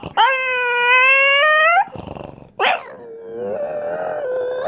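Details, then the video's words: French Bulldog producing a sustained, nasal, revving whine likened to a car on a racetrack, holding a steady tone for nearly two seconds, then a sharp yelp and a lower wavering drone. "French Bulldog Sounds Like a Car on a Racetrack"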